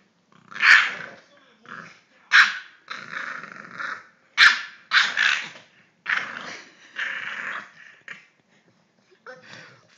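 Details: A 3-month-old English bulldog puppy, playing wildly, gives rough, throaty growls and short yapping barks in irregular bursts.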